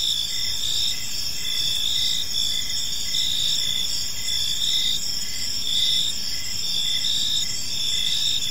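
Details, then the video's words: Gentle chirping of crickets in a park as evening falls: layered high-pitched trills that never stop, punctuated by a softer repeated pulse near once per second, with low-frequency background noise throughout. "Cricket Sounds in a Peaceful Park"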